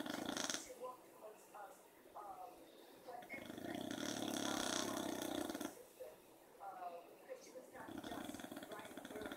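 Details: Beagle named Otis napping in the afternoon with a dachshund companion, snoring loudly; a drawn-out hoarse snore of over two seconds, then a shorter one after a pause, with faint breathy noises between.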